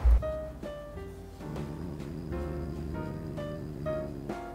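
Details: Gentle piano and keyboard music plays throughout in a steady rhythm, with no animal voice audible.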